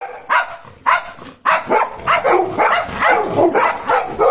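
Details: Golden Retriever puppy Cornell, who shadows German Shepherd Bozo: a run of sharp, mid-pitched barks and yips, irregular and close together, roughly two per second, with short gaps between bursts.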